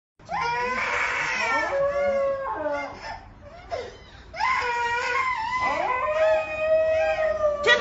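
An Alaskan Malamute puppy wails in long, wavering, rising-and-falling cries alongside a sobbing child.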